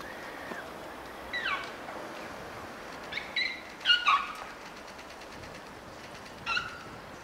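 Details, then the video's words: Two young elephant calves at Prague Zoo play and wrestle with their trunks in the snow, giving short high tonal squeaks with harmonics, several scattered bursts over seven seconds, one double squeak near the middle, over a soft steady background hiss. "Elephant Babies squeak as they play and even slip on the snow"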